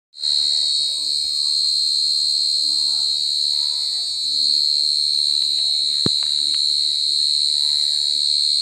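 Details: Mole cricket chirping super loud, a continuous piercing high-pitched trill held steady throughout, with faint low murmurs and a sharp click in the background.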